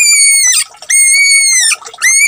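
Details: Bunny crying during a bath, giving piercing, sustained high-pitched wails that sag slightly in pitch, three in quick succession with brief pauses of rustling between them.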